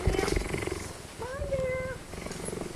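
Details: A laid-back, very happy young cheetah, said to be going through the terrible twos, purrs with a steady, low, rapidly pulsing rumble while people talk nearby.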